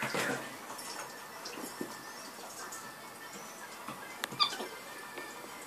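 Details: Capuchin monkey named Masyanya, locked up as punishment for mischief on 10 July 2014, gives a brief high, thin squeaky call near the four-and-a-half-second mark amid rustling, scattered clicks and clatter in the enclosure.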